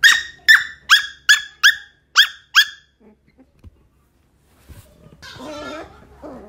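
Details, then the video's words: Shetland Sheepdog barking while digging: seven sharp, bright barks in quick succession, roughly three per second, then a pause and a brief low, wavering growl-like vocalisation at the end. "Sheltie Barking Digging"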